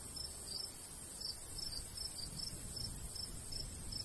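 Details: Natural cricket chirping in summertime countryside beside a golden wheat field, a quick series of high, evenly spaced pulses over a soft low wind rumble.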